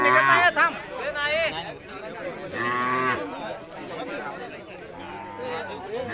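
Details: Khillar cows shown at a cattle exhibition give short, low moos near the start and middle, partly masked by lively speech, crowd chatter and background music.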